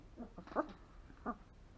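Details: A 3-week-old longhaired German Shepherd puppy indoors gives two short, thin whimpers with a rising-falling squeak, about half a second apart, in a quiet room.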